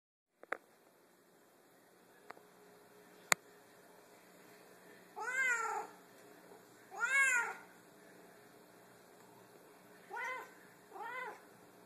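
A Savannah cat calls with loud, drawn-out meows that rise and fall in pitch, two long ones followed by two shorter ones. A few sharp clicks and knocks sound earlier in a quiet room.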